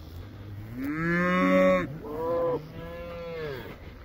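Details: Moos from a herd of 24 first-calf cows and 25 calves: three drawn-out, rich lowing calls in a row, the first loudest and steady, the next shorter, the last softer and fading, with faint background hum.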